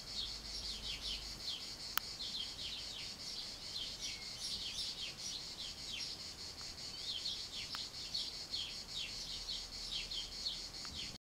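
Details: Cicadas in summer stillness keep up a steady, high, shimmering buzz, with quick chirps scattered through it.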